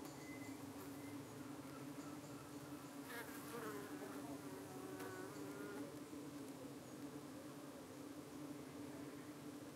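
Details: Honey bees buzzing at the entrance of a UK hive in the evening while flies attack them and the bees fight back: a continuous low drone, with a louder swelling buzz passing through midway.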